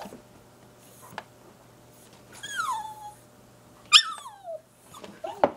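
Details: Dog crying to be given pizza: soft scattered whimpers with two clear falling whistled whines, one long and drawn out, over quiet room hum and small clicks.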